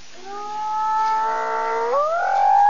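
A hyena gives a long, clear, wailing call that glides upward and leaps higher near the end.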